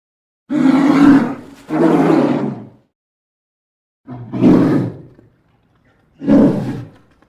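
A polar bear gives four harsh, rasping roars, each about a second long, separated by brief pauses.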